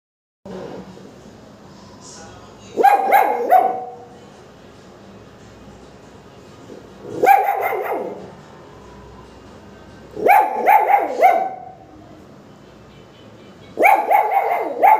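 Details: Pomeranian puppies start barking for no apparent reason, giving bursts of high, sharp yapping barks, several in quick succession every few seconds.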